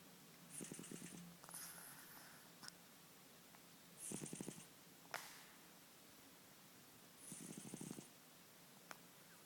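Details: Ten-year-old domestic cat snoring while asleep: three rough, breathy snores, each about half a second to a second long with a low pulsing rattle, spaced roughly three seconds apart, in a quiet indoor room.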